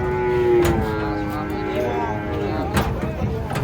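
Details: An agitated cow coming down from a truck gives a sustained, flat, droning moo across most of the recording, with men's voices calling out and bumps from the unloading.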